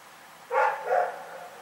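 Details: Rex, a dog, barking in the night, recorded 27 February 2018 in Pyrga; one short bark followed closely by a second, softer bark, with a faint steady hum underneath.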